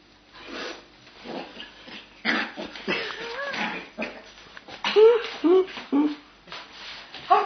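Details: Pair of Cava Tzu puppy sisters at play, giving rough growly play noises followed by a run of high, thin whimpering yips repeated about once a second, with people talking in the background.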